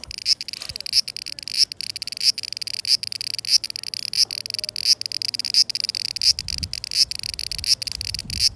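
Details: Cicada chorus in summer 2020, steady high-pitched buzzing throughout with regular brief pulses roughly every 0.65 seconds and a faint low hum beneath.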